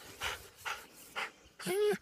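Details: A very happy wolf panting in slow, airy bursts about every half second, followed by a person's short voiced sound.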